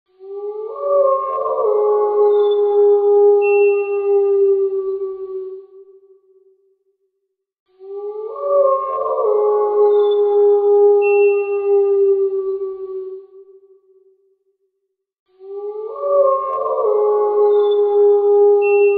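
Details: Wild wolf howling: three long, steady howls of about six seconds each, starting with a brief rising slide and holding a smooth layered tone before fading, separated by short silences.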